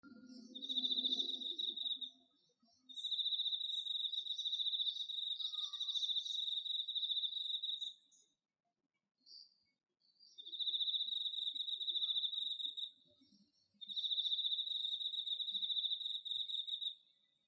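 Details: Autumn cricket in an organic home vegetable garden in Japan, recorded on an iPhone: a steady high trilling chirp in long bursts of several seconds with short gaps, a brief low murmur near the start.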